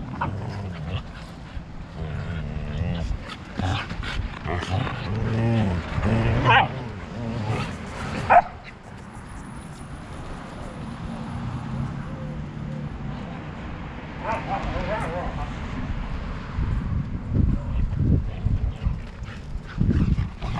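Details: Siberian huskies from a family of two parents, Turbo and Cloud, and four pups, fighting: wavering, harmonic yowls and growly bursts rise and fall around the middle, with scuffling thumps and faint human voices underneath.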